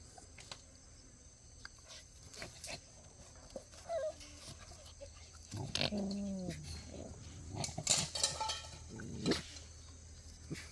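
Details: Playing Jindo puppies, Cheondori's litter, give a brief cluster of high whining yips with layered harmonics in the middle of the stretch, amid scuffling, clicks and thumps of rough play.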